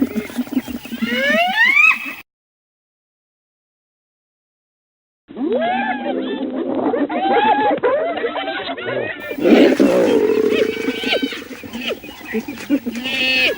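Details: Hyena calls: a rising whooping call at the start, then after a silent gap a run of quick, chattering giggle-like notes, ending in lower bursts of wavering cackles.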